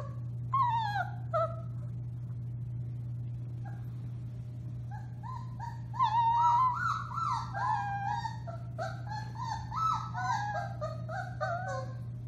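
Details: Four-week-old Alaskan Malamute puppies howling together, born to one litter, recorded March 30, 2021: several overlapping high, wavering, rising-and-falling yips and howls, sparse at first then a dense chorus, over a steady low hum.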